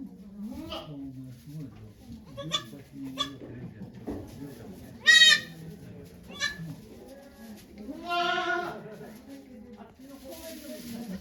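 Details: Okayu the goat delivering two kids at Yoshigake Farm on 3 May 2023, watched by volunteers over Golden Week; a short sharp cry mid-way, then a longer wavering bleat, with people talking quietly throughout.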